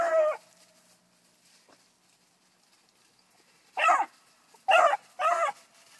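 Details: A bluetick beagle pup named Annie, four months old, trails a rabbit. A single sharp yelp opens the clip, then a long silence, then a quick burst of three wavering, tonal cries close together.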